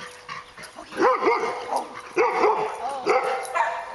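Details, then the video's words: Dog trained to bark on command, giving short, bright, rising-and-falling barks in quick pairs, three clusters across a few seconds, with a faint background tone. "Speak and Quiet on command"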